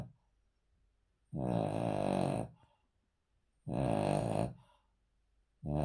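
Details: Sleeping male Cavalier King Charles Spaniel lying on a floor indoors, giving loud, rough, drawn-out snores lasting over a second each, about every two and a half seconds, with near silence between.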